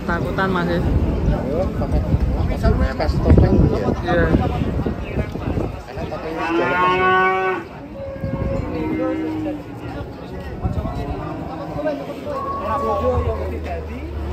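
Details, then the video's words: Cattle being unloaded from a swaying truck give loud, drawn-out moos with rich harmonic stacks, one long bellow around the middle and shorter lowing calls after it, over a rumbling background of engine noise and human voices. "SAPI UNIK DAN LUCU TURUN DARI TRUK OLENG"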